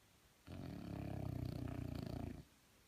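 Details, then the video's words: French Bulldog snoring indoors: a single long, deep, rumbling rasp lasting about two seconds, low and throaty with a fluttering texture, against quiet background. "Frenchie Snoring"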